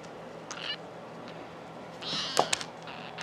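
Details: Exotic kitten at a cattery giving two faint, thin, high meows, one short and one longer. Soft clicks and light room noise are also heard.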